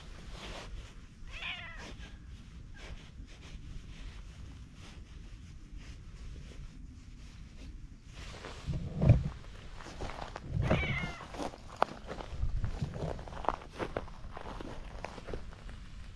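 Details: Ginger tabby cat by a pond enjoying being petted. Two soft, brief meows about nine seconds apart sit under constant low rustling and handling sounds, with a few sharp knocks.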